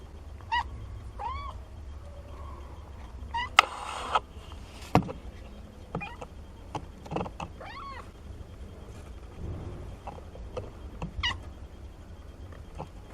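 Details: Nina's 17-day-old kittens, a litter of four, utter short arched mews, about half a dozen spread irregularly, mixed with soft thumps and scratching of the kittens moving about indoors.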